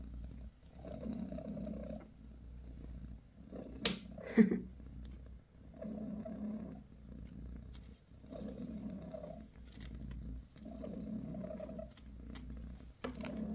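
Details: Mother cat Bassy, a British shorthair, purrs as she grooms her litter. Soft cyclic purring repeats in pulses of a second or so for the whole stretch, with a brief sharp rustle near the middle.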